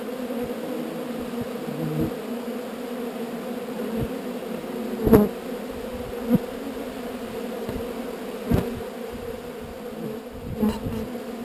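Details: Honey bee swarm during relocation from an unwanted spot: continuous humming drone with layered tones, punctuated by brief louder clicks or taps around five, six, eight and ten seconds.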